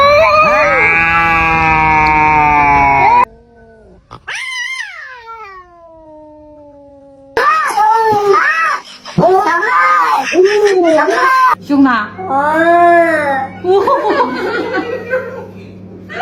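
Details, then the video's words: Angry cat caterwauling in a long steady wail, then a sliding descending cry, followed by choppy bursts of arched, wavering yowls mixed with human voices and a low background hum. "Never Underestimate a Angry Cat"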